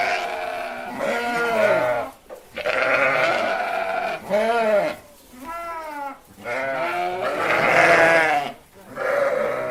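Sheep bleating, a run of quavering, nasal baa calls following one another with barely a pause.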